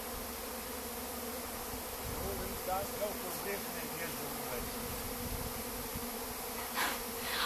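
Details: Honey bee swarm out of its nest behind a house wall, hunting for a new home: a continuous thick buzzing hum, with a few faint higher clicks and brief rustles rising above the drone.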